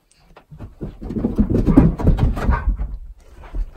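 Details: Husky Key at home in the morning, arguing against wearing his collar before a walk or run; rough, grumbling woo-woo talking with stacked harmonics, rising and falling over about three seconds in a small room.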